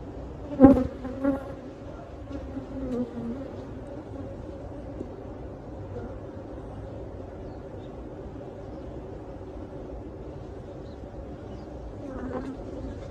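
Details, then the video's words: Steady low hum of honey bees as a hive behind a cabinet is removed and the bees captured for relocation; a sharp knock near the start, then even droning throughout. "bee removal 2023 ; removing a bee hive behind a cabinet; beez"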